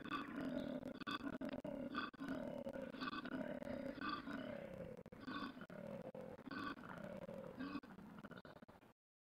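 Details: Koala (Phascolarctos cinereus), bellow.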